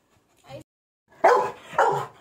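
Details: Labrador Retriever reacting to a dancing doll: a faint short sound, then two gruff, muffled woofs about half a second apart, with a woman talking softly around them.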